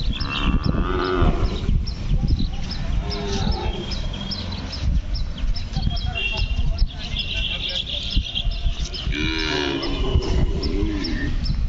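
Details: Hallikar bull calf at the Kelamangalam cow market: low, drawn-out moos near the start and again near the end, over constant crowd chatter and busy market noise.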